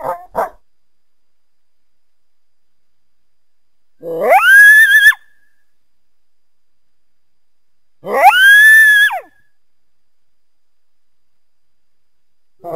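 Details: Coyote producing two separate rising howls, each swooping up and holding high for about a second, spaced roughly four seconds apart, with short clipped fragments at the start and end.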